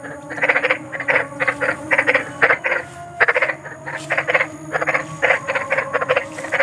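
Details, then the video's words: Big frogs calling in the wild at night: dense rasping croaks in quick pulsed bursts, several per second, grouped in runs with short pauses, over a steady low hum and faint high tones. "SUARA KODOK || KODOK BESAR || SUARA KODOK SERAM"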